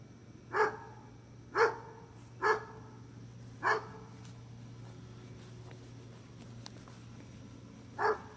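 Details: Gunner the dog barking: five sharp single barks, four spaced about a second apart early on, then a pause of several seconds before a final bark, over a steady low hum.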